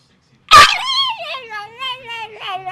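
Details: A dog gives a sharp yelp that slides into a long, wavering, falling whine, reacting to a tennis racquet he dislikes.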